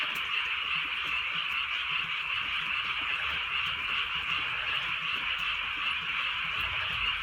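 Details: A drizzly rural night filled with frogs, many voices croaking and trilling at once in a thick, even chorus that stays level throughout, with soft rain beneath.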